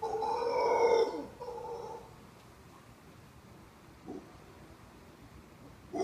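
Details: Male howler monkey perched in the crook of a tree beside a resort in Costa Rica, howling on and on for over thirty minutes; a rough, harmonic roar swells for two seconds, then fades into quiet background with faint later grunts.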